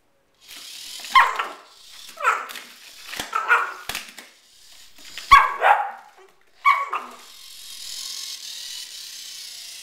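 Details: Female Border Collie in a small room producing five short yipping barks about a second apart, each with a whimpering edge, then falling quiet with low background hiss.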